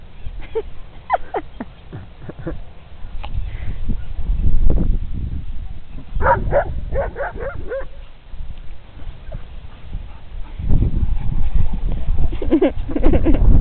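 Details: Young Briards Molly, 18 months, and Fred, 7 months, at play outdoors on the green; quick high yips early on, then a tight run of sharp yapping barks mid-way and more yelps near the end, with heavy low wind rumble throughout.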